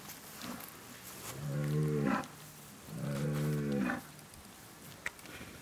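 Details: Two drawn-out, low, rich moos from Bazadaise cattle, each lasting about a second with a short pause between, against light background noise and a brief click near the end.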